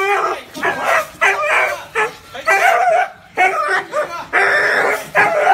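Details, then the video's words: Dog barking, billed as a fearsome, deep and warm bark: short loud harmonic barks about every half second, some with rising and falling yelping tones, fairly clean background. "Tiếng chó sủa kinh hoàng, trầm, hay và ấm - Tiếng chó kêu"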